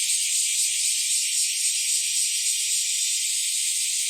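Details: Chorus of bear cicadas with Nii-nii cicadas on an early summer morning in July 2023, a bright, sizzling high-pitched drone carrying a thin steady whine, loud and unbroken for the whole short stretch.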